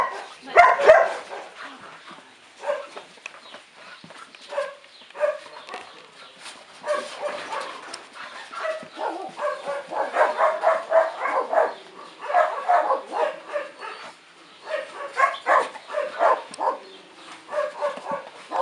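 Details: Two dogs, Nózi and Vidra, playing together: a busy stream of short, harmonic yips and growly barks in rapid irregular bursts, a few every second, with louder clusters near the start and in the middle.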